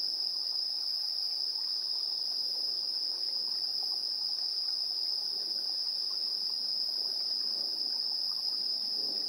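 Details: Insects chirping in the evening at 7:04 PM on 3 September 2022, recorded on a handheld recorder's built-in stereo microphones: one steady, unbroken high-pitched trill runs throughout, over a soft, dense layer of lower buzzing from many other insects.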